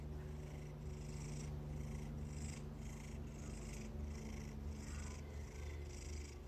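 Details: Domestic cat purring close by, a soft, steady low rumble pulsing in an even rhythm, with faint brighter hiss rising and falling about twice a second.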